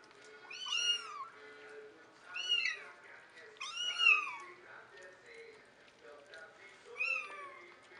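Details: Kittens meowing: high, thin, wavering mews with a rising-then-falling shape, four strong calls spaced a second or more apart, with softer lower mews and faint background murmur between them.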